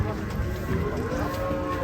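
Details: An angry cow or bull coming down from a truck gives a loud, drawn-out, strained low moo that wavers in pitch for about two seconds. Handlers' voices are mixed in.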